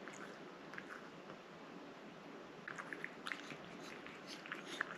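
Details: Pet cat chewing a wet treat inside a small room: faint background hiss with sparse wet clicks early on, then a denser burst of smacking bites in the second half.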